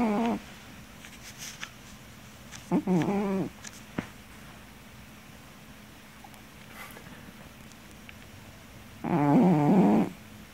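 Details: Miller the cat, napping noisily indoors, gives a brief rasping snore early on, then a longer, louder throaty snore near the end over steady room hiss.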